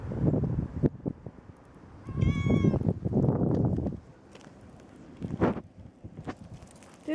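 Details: Young kitten out on a walk with the dogs gives a short, high, wavering meow around the two-second mark, amid loud rustling, footsteps and handling noise, with a person speaking near the end.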